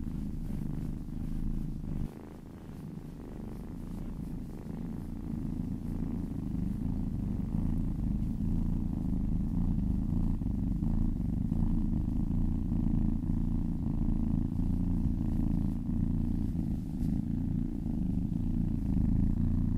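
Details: Massaged kitten giving a low vibrating purr that grows louder and fuller after a short dip near the start, steady and unbroken through the remainder.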